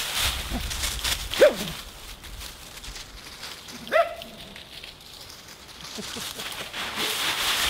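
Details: Husky playing in a leaf pile outdoors, giving two short, high yelping calls about two and a half seconds apart, with rustling leaves and other faint vocal sounds in the background.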